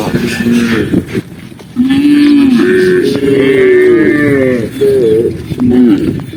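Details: Herded tame cows on a lush green hillside moving together; drawn-out lowing moos with a steady low pitch, several long calls in a row separated by brief gaps, a short rising moo at the end.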